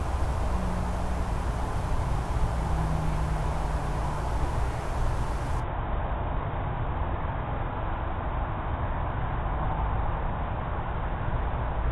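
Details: Steady low rumbling noise like distant traffic, with a faint brief hum near the start; no animal sound is heard.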